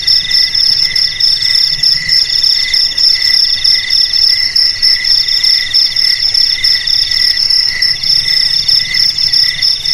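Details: Several crickets chirring together in a dense, continuous high-pitched chorus, with overlapping steady trills at different pitches and a faint pulsing rhythm throughout; no other sounds stand out.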